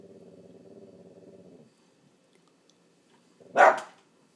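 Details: Boston terrier frenchton dog named Tucker on watchdog duty indoors: a low, steady rumbling growl lasting over a second, a pause, then one sharp, loud bark.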